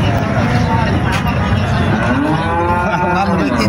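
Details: Bulls lowing at the busy Friday cattle market of Maynamati Saber Bazar, Comilla, before the 27th of Ramadan: a long harmonic moo rising and falling in the second half, over a dense crowd of buyers and sellers talking.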